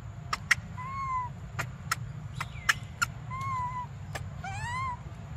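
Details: Hungry baby monkey Briar whimpering for milk, three thin, bending cries each under a second, the last wavering and rising, amid sharp handling clicks and a low droning background.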